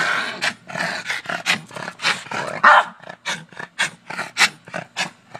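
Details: Oreo, a pet Boston Terrier, barking at a shovel, something he does every day; a rapid run of rough, harsh barks and growly bursts, about two or three per second, with short gaps between them.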